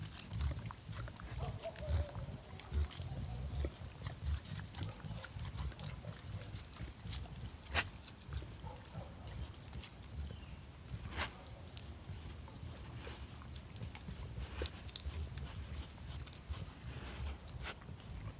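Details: Low grunts from a collared peccary (caititu, porco-do-mato), a steady rumbling murmur broken by irregular sharp clicks, with a few faint higher sweeps and background rustling.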